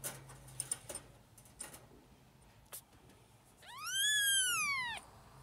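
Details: Four-week-old kittens being bottle-fed at lunch time, fighting for milk; after a few seconds of soft clicks and handling noise one long, strong arched mew rises and falls.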